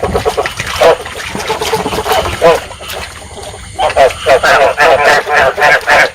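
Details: Vietnamese rice field frog breeding calls, played to lure and trap frogs: quick, throaty, harmonic croaks repeated about three times a second, thinning briefly mid-clip before a loud, steady run of pulses resumes.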